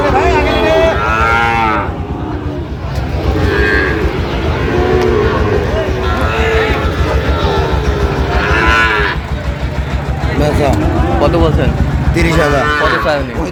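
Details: Cattle, Sahiwal bull calves among them, call at a Chattogram market on 31 October 2025. Bursts of layered mooing return every few seconds, separated by brief lulls, while market chatter and passing vehicles continue throughout.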